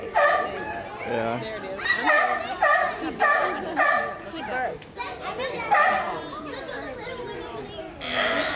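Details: A mother sea lion barks a lot and belches a couple of times. Harsh, rough barks come in a steady series about every half second to one second, with faint background chatter.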